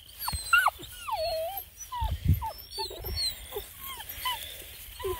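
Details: Bluetick Coonhound puppies at an Ontario, Canada breeder, woken while sleeping as someone sneaks up without talking: several overlapping high, whiny whimpers that slide downward, in quick irregular succession, with low thumps and rustling underneath.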